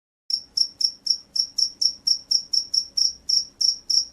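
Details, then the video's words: Field cricket from a rice paddy, described as loud and vigorous, giving a steady series of shrill, high chirps, roughly four per second, each a short pulsed burst; quiet background. "SUARA JANGKRIK SAWAH"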